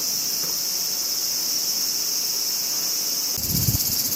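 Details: Japanese summer crickets produce a sustained high, hissing trill, steady from start to finish, and a gust of low wind rumble swells in during the final second.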